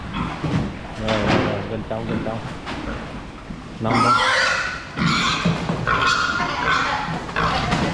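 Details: Domestic pig being moved out of a cramped barn into a new pen: people talk at first, then loud, harsh, shrill squeals burst out in long repeated bouts through the second half, with voices continuing beneath.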